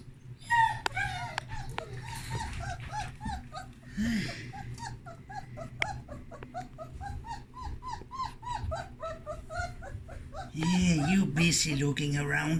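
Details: Several puppies exploring a whelping box on fresh blankets; steady chains of short, rising-falling whimpers and squeaks repeat rapidly, roughly four a second, before a louder rustle and a muddled jumble of voices and thumps at the end.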